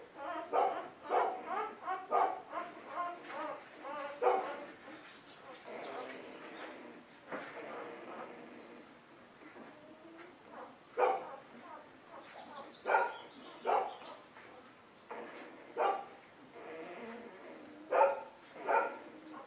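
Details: Golden Retriever puppies from a litter on a puppy cam, giving many short high whimpers, yelps and whines in overlapping bursts, some harmonic and wavering, with clusters of louder yips every second or two.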